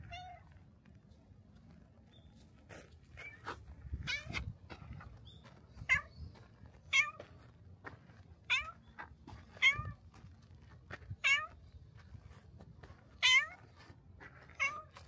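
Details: Black cat at a shrine coming out to the torii gate to greet a visitor, meowing insistently; about a dozen bright, wavering meows, some short and some drawn out, arriving every second or so, with soft low rustling beneath.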